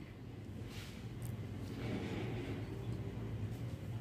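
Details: A steady low rumble like passing traffic fills the recording, with faint hiss and no animal voice.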